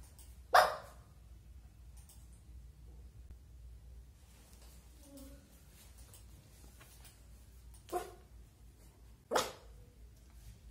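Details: Pet Lhasa Apso puppy Simba indoors on a bed, excited to see the owner's dad and wanting to play but afraid to jump down; three short, sharp barks, one near the start and two close together near the end, with quiet between.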